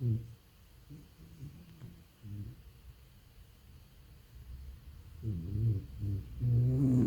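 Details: A sleeping French Bulldog snores in low, rattling, rasping bursts that come in uneven waves.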